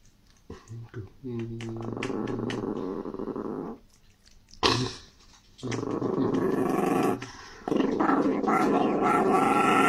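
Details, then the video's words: Angry pet Chihuahua growling: a low, rough, sustained rumble held for several seconds at a time, broken by short pauses, with a few sharp clicks and a human voice in the background. "Angry Chihuahua"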